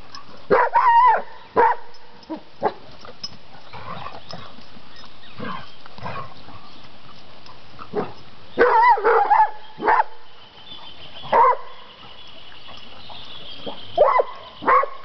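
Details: Ares, a Rhodesian Ridgeback ten and a half months old, barks while playing with friends at the municipal campground of Tapalqué. Sharp harmonic barks come in clusters near the start, around nine seconds and toward the end, over a steady low background hum.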